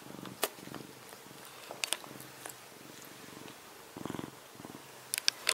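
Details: Male cat snoring as he sleeps: soft, rasping, pulsed breaths in short bursts, each lasting under a second, with scattered small clicks in between.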